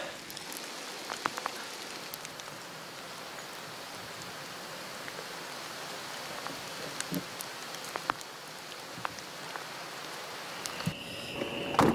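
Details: Steady rain patters throughout, with scattered sharp drops and clicks and a brief clatter near the end.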